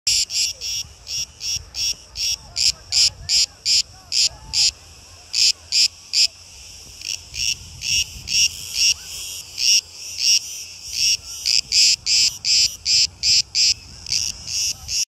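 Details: Cicadas on Crete, Greece, give a loud, buzzy, high-pitched rasp in rapid repeated pulses.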